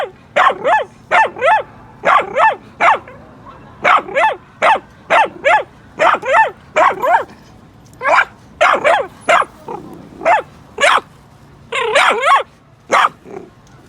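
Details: Pet Miniature Dachshund barking after hearing other dogs on television or outdoors; a steady run of high, sharp barks, often doubled, packed closely across the whole stretch with only short pauses.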